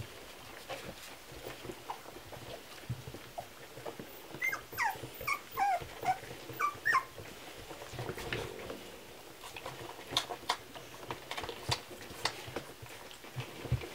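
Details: Several Kromfohrländer puppies feeding on milk, giving a cluster of short, high whistled squeaks for a few seconds midway, surrounded by quiet rustling, clicks and slurping.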